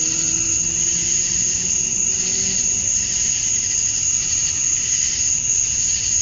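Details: Male cicadas chirping to attract females during summer dusk in Georgia, USA, forming a sustained high, sizzling drone with slow irregular pulsing, while faint low tones linger in the first seconds.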